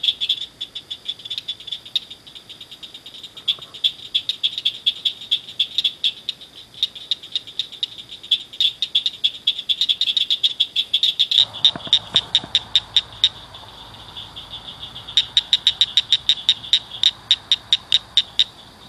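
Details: A chorus of several frogs chirping at night inside a culvert by a ditch, sharp high notes in rapid series, briefly broken midway by a low rumbling noise before the chirping resumes.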